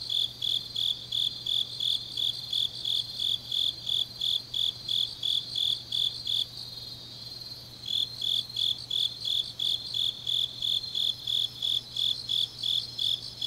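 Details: Autumn night grass insects from Changnyeong, South Gyeongsang, Korea: steady high chirps about three a second stop for roughly a second midway, then resume, with a softer higher insect hum continuing throughout.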